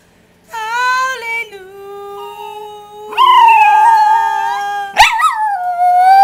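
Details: Romeo, a pet Rat Terrier who loves to sing, howls in long tonal wails, one steady note, then a lower held tone and a rising second wail, ending with a sharp yelp-like break and a lingering high note.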